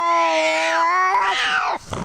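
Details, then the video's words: A cat's drawn-out meow, a steady tone that bends downward, then breaks into a rougher, wavering yowl before ending in a short scuffle of noise. "Ranking Funny Cat Sounds."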